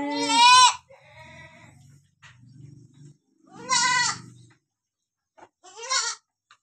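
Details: Mother goat with two newborn kids she is licking clean; loud quavering harmonic bleats at the start, around four seconds and near six seconds, separated by low soft grunting murmurs.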